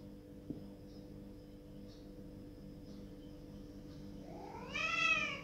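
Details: House cat crying to be let through a closed door. After several seconds of near-silence with a low hum and a faint tap, one long, rising-then-falling meow sounds near the end.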